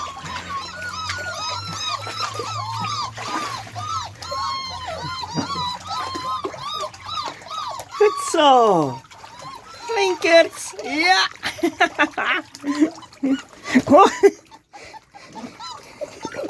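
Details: Beagle puppies learning to walk in water whine in quick, arched, repeated cries for the first half; later the puppy calls fade as human speech and splashing take over.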